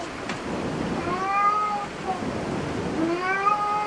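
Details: Domestic cats at a cat cafe, two drawn-out harmonic meows, one starting near 1 s and another rising in after 3 s, over a low murmur of room noise.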